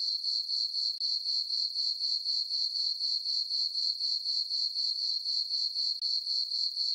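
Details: Crickets in a meadow on a peaceful summer night, full moon overhead, producing an insistent high trill of rapid chirps, about four per second, briefly dipping twice, otherwise uninterrupted.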